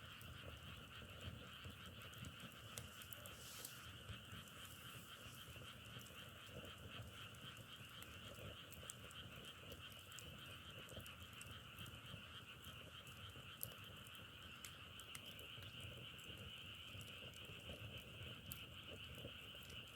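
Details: Outdoor frog chorus: an unbroken, even drone on two layered pitches lasting twenty seconds, with occasional brief crackling snaps and a low rumble underneath.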